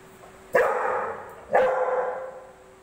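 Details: Domestic dog barking at a ball: two loud, sharp barks about one second apart, each with a short harmonic tail fading away; a steady faint tone runs underneath.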